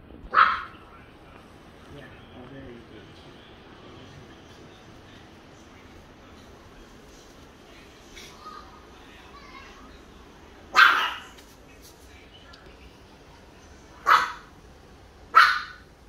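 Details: Small Chihuahua indoors, hiding shyly in a corner against curtains and wall; a few sharp isolated yips or barks, spaced several seconds apart, with a woman speaking softly between them.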